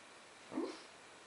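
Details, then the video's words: A big dog asleep, possibly dreaming, gives a single short, soft whimpering whine lasting under half a second in an otherwise quiet room. "Big Dog Makes funny noise when he sleeps"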